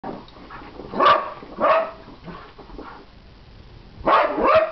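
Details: Puppies barking in short, sharp bursts: two loud yaps near the start, quieter yips between them, then a pair of close barks toward the end, with a faint background hiss.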